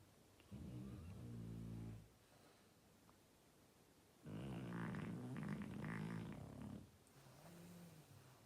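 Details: Oleg, a French Bulldog, snoring so hard the walls shake: a deep, rattling snore lasting over a second, a pause, then a longer, louder, harsher snore of about two and a half seconds, and a softer trailing breath.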